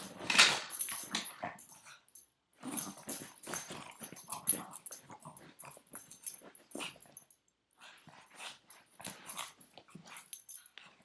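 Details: Boston Terrier, nine years old, gripping its owner's foot in play indoors, keeps up a rough, snuffling growl in uneven runs of short bursts, with a quiet gap after the first two seconds and softer grumbles toward the end.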